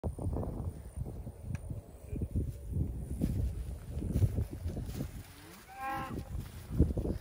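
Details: Registered Black Angus cows from a herd of 41, six months pregnant, in central Oklahoma; one brief tonal moo near the end rises over steady low rumbling and wind-like noise.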